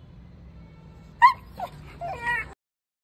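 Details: A Rottweiler puppy, during a leash-training session, gives one sharp, high, yip-like bark, then a shorter yelp and a wavering whine.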